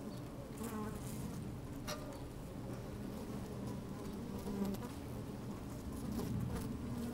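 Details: Within an open beehive on a fine sunny day, honey bees busy at work: steady deep hum layered with rustling and clicking, occasional louder buzzing bursts swelling toward the end.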